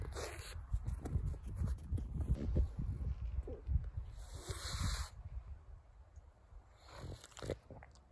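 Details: Carlos the pug, a pet dog, making close-up noises: low, rough snorting grunts come in quick irregular bursts for about four seconds, then softer snuffles with a few brief hissy breaths.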